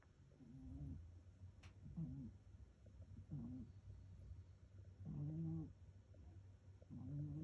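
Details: Rescued pet cat asleep and snoring: soft low rasping snores with a faint tonal edge, roughly every one to two seconds, some longer and louder, over a steady low hum.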